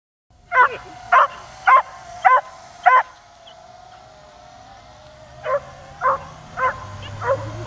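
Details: Dog barking at a drone flying above and trying to jump up at it. Five evenly spaced sharp barks, a pause of over two seconds filled by the drone's steady hum, then four more barks.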